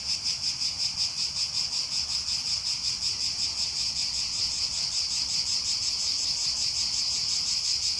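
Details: Many cicadas singing together in summer at Aghios Kosmas, Helliniko, Athens, Greece, making a loud sizzling drone that throbs in quick regular waves, constant from start to finish.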